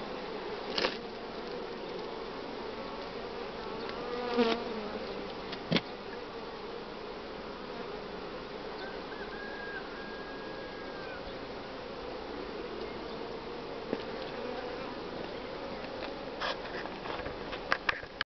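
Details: Buzzing of a honey bee family in spring, as the colony develops and its brood nest is split: an unbroken low, rich hum with several sharp taps and knocks from hive handling and a short faint whine midway.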